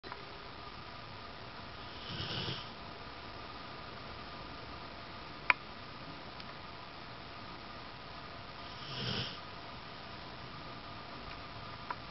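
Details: Zeus, a Rottweiler, totally zonked out asleep and snoring indoors: two soft, breathy snores about seven seconds apart, each swelling briefly, with a steady hum and a couple of sharp clicks between them.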